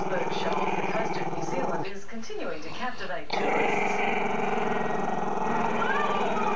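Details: Camera-shy Maltese-Shih Tzu pup Chester keeps up a sustained throaty growl at the camera. A short ragged break comes around two to three seconds, then the rumbling growl returns, steady and unbroken.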